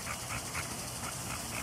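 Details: Pet dog in a backyard pool on a hot day while being coaxed under the water; short, breathy bursts repeat roughly four times a second over a steady watery hiss.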